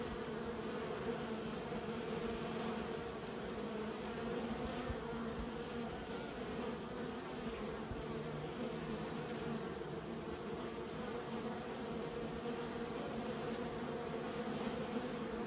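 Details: Continuous low buzzing of a managed honey bee colony, an unbroken, even hum layered with fine flickering wingbeat texture.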